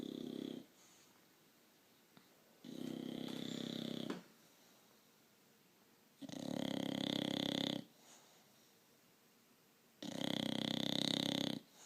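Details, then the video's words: Bulldog snoring: long, loud, rasping breaths of about one and a half seconds each, coming every three to four seconds, with quiet pauses between them. "the Bulldog - Snoring!"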